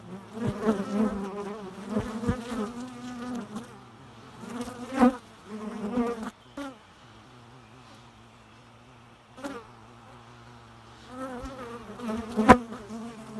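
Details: Bee buzzing in bursts, loud wavering drones with stacked harmonics rising and falling, a quieter steady hum between passes, and occasional sharp knocks.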